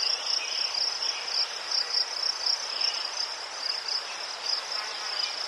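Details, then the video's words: Crickets in Ukraine produce an unbroken high trill that swells in regular pulses about every half second, with softer chirping underneath. "Заспокійливий звук цвіркунів//The soothing sound of crickets"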